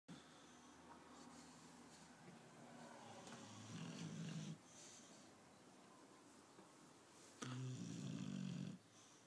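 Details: Tyson, a sleeping British Bulldog, snores indoors in a small room: two long, low rasping snores around the fourth and eighth seconds, each over a second long, with fainter wheezy breathing between them.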